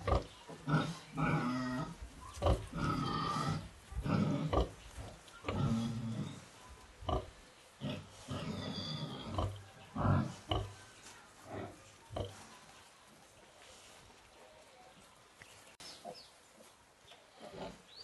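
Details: Sow farrowing for the first time in a piggery, delivering eight piglets; bursts of low grunting and snorting repeat roughly every two seconds during the first half, then fade to quieter background noise.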